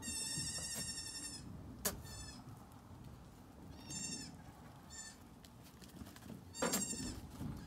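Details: Nigerian Dwarf goat kids recorded May 2, 2019: several high, nasal, wavering bleats, one long opening cry followed by shorter ones spaced irregularly, over a steady low rumbling background.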